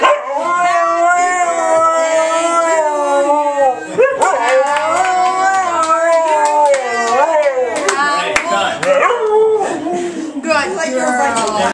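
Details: A Siberian Husky howls in long, wavering tones that slide up and down, as if singing along to Happy Birthday.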